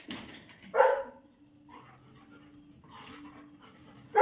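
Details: During obedience training with sit, roll and jump commands, German Shepherd Rocky lets out one brief sharp bark amid near quiet with a faint steady hum, followed by another abrupt burst at the very end.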